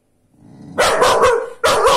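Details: Small female dog defending her house against a Rhodesian Ridgeback: a faint rising growl, then two loud, harsh barks, the first drawn out and the second abrupt.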